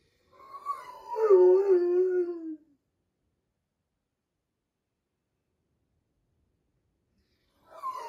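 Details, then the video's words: Big Dobermann crying indoors while its sister is in surgery: a wavering, moaning howl around two seconds long, sliding down in pitch, then silence and the start of another cry at the end. "Big Doberman crying while sister in surgery"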